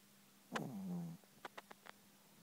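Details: A Chihuahua sound asleep, giving one drawn-out low snoring breath with a steady buzzing tone, followed by a few soft clicks against a quiet steady hum.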